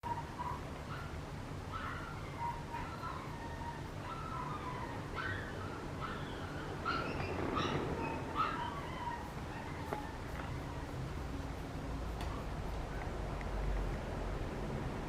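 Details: Papillon puppy, a male born 16 July of British champion lines, gives a run of short high whimpers and yips, some rising, scattered over steady low background rumble.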